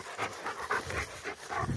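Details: Rottweiler, one of two dogs descending a tower, breathing in fast, even, breathy pants about four per second.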